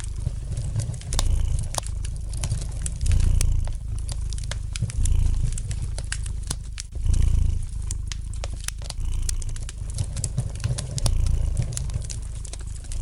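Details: Domestic cat purring gently, for relaxation, beside a fireplace: a low rumbling purr swelling and fading roughly every two seconds, under dense light crackling and popping from the fire.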